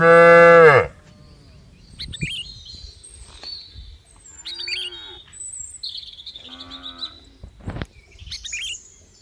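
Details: A short, loud cow moo opens, then fades into quiet; afterward scattered bird chirps and whistles and a couple of faint, distant lowing calls are heard.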